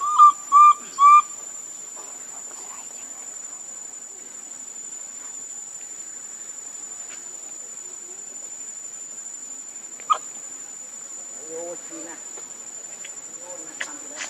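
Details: Hungry baby monkey Lucie crying for milk: three short, loud, arched whistling cries in rapid series at the start. Then long quiet hiss with scattered faint clicks and soft murmurs.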